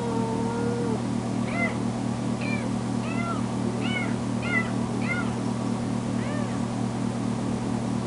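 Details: Crying foster kitten Tamera, newly spayed, meowing loudly after being left alone; a cluster of short bent meows in quick succession, then a pause, with a steady low hum underneath.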